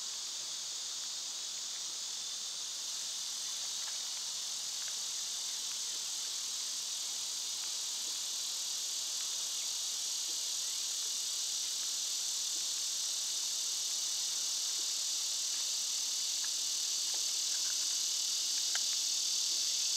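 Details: A steady, shrill summer cicada drone swells slightly louder toward the end. Occasional faint chirps sound in the background.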